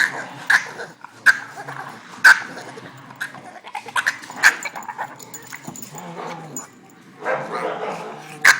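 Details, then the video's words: Boston Terrier, frustrated and going nuts because he can't play with the other dogs, giving sharp high yips and barks spaced a second or so apart, with quieter whining and rustling between. "Boston terrier making alien noises"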